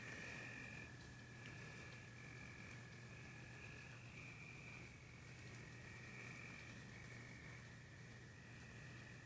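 Crickets give steady, high, ringing trills over a constant wash of storm rain and low rumble.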